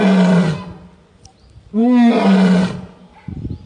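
A lion gives two deep, rasping roars, each swelling loud and then fading.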